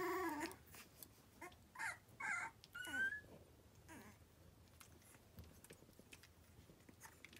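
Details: Three-week-old Cavalier King Charles Spaniel puppies on a fall day give brief high-pitched whimpers and squeals, some wavering and some rising, in a cluster that fades to rustling. At this age the pups develop a cute "tiger rrrr" sound, which may be among them.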